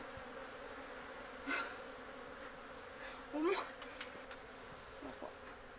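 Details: Japanese honey bees humming in an open-air colony in a frameless box hive, grown over two months and preparing to swarm, with queen cells present; a low steady drone with a few brief louder buzzy bursts and a short rising whine.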